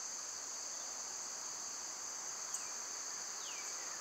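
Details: Summer cicadas produce an even, high-pitched hiss-like drone. A brief click sounds midway, and two soft falling bird whistles follow.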